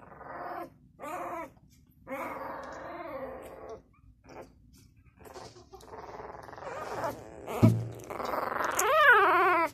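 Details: Six-day-old Labrador Retriever puppy indoors, giving a series of short whining and squealing cries with arched, wavering pitch, separated by brief pauses, building into louder rising-falling squeals near the end.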